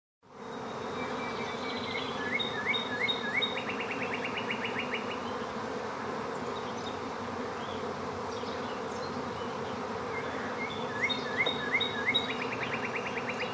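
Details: Swarming bees making a dense, steady, low droning hum that holds unbroken throughout, with bright repeated chirping trills from birds heard twice in the background.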